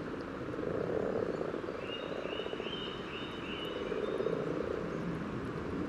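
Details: Common frogs at a spawning site on the yellow trail in Sunnersta, Uppsala, Sweden, recorded just above the water surface, give soft, low purring grunts in short rolling bursts, a courtship chorus.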